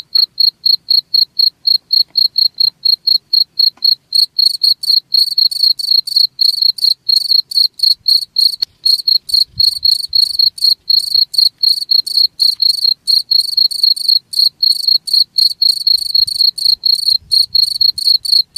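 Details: Cricket chirping, thin evenly spaced high pulses for the first few seconds, then richer, buzzier chirps in a steady four-per-second rhythm, with faint low thumps in the background.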